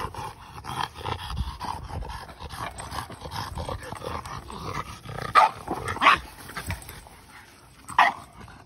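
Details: Boston Terrier at play with his big blue ball, making three loud, short barks in the second half amid steady scuffling, snuffling and rubbing noises.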